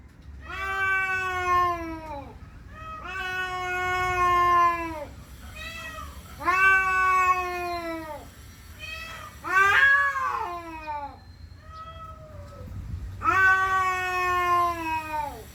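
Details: Male house cat reacting aggressively to a rival cat seen outside, uttering long, whining, harmonic caterwauls of about two seconds each, five or six in a row with short pauses, some quavering and shorter.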